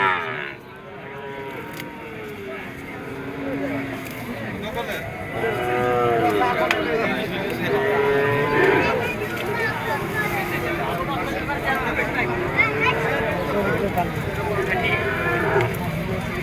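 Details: Bulls suited for farm rearing at the Sonali cattle market in Sirajganj, Bangladesh, held on Sundays from midday to late afternoon. Several drawn-out, arching moos rise and fall amid steady crowd chatter and voices bargaining nearby.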